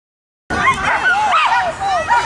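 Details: Border collies at work giving excited high yips and whining yelps, rising and falling in short arched calls one after another over about two seconds.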